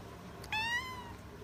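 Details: One short meow from a house cat in a quiet room, starting with a sharp rise and sliding gently downward before fading out, preceded by a soft click.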